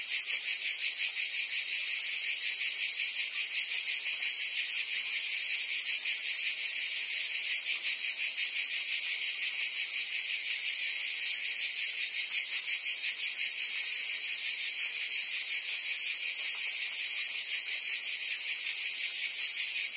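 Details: Forest cicadas calling from the trees, making a continuous shrill buzz with no breaks, a fine fast throb running through its lower edge, and an even loudness from start to finish.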